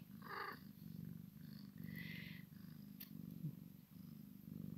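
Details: Maine Coon x Sphynx kitten playing with its mother, a rhythmic low purr running steadily through, with a few soft rustles and one sharp click.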